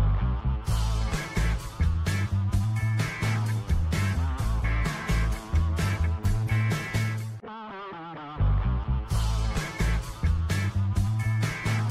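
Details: Rock music with driving guitar and bass plays throughout, with a brief lull just before eight seconds.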